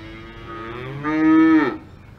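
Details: Cow on an Alpine farm letting out one moo: a soft low start, then a loud sustained harmonic bellow that bends downward and cuts off after about three quarters of a second.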